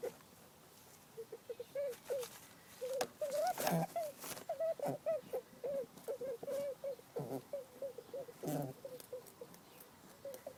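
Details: Pet rabbit sisters, the dominant sooty fawn female regularly mounting the other, who answers with anxious distress squeaks: a fast run of brief, slightly wavering mid-pitched squeaks, about three each second, with a few soft thumps and rustles between.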